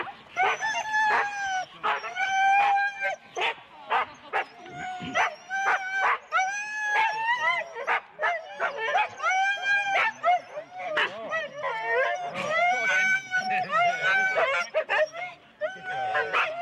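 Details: Excited four-dog Husky teams at a sled start in Rendlesham, January 2016, a chorus of drawn-out, wavering howls and yelps, each a second or so, with sharp barks between them.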